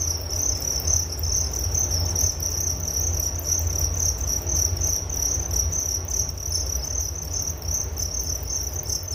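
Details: Continuous cricket chirping from a nature soundscape meant for sleep, a bright shrill trill pulsing evenly, over a constant low background rumble.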